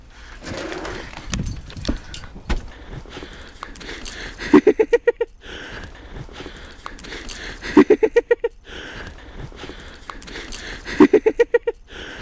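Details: Pembroke Welsh Corgi playing in snow and trying to eat it, giving three bursts of quick, rising yappy barks about every three seconds, five or six barks each, with rustling snow noises and a person's voice between.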